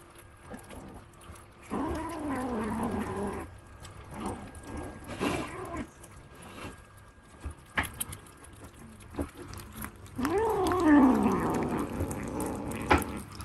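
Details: British Longhair kittens, part of a litter of six, eating meat, giving two drawn-out, wavering, falling yowl-growls about two seconds long, with chewing and handling noises between them.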